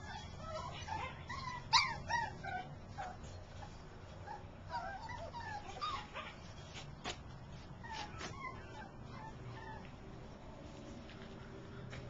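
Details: Portuguese Podengo male dog giving soft, high whining whimpers and short yips, irregular, one louder yelp near the start, over faint steady background hum.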